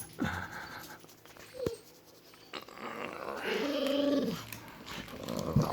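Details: A female Golden Retriever greets her owner coming home with a drawn-out, wavering whine and low grumbling moans.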